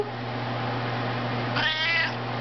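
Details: A Maine Coon cat "sings" an encore along with its owner's singing of Twinkle Twinkle Little Star, giving a short, wavering, drawn-out meow over a steady low hum.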